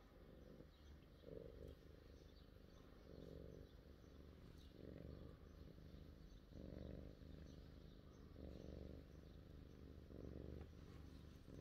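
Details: Julia the cat purring quietly, a low rumbling pulse swelling in bursts roughly every one and a half to two seconds as she breathes in and out, over a faint steady background hiss.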